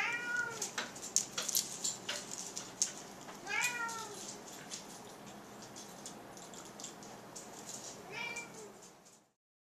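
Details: Indoor pet cat making odd sounds with rapid clicking of the jaws; three brief, falling, harmonic chirp-meows come a few seconds apart over a dense, fast ticking clatter, then quiet.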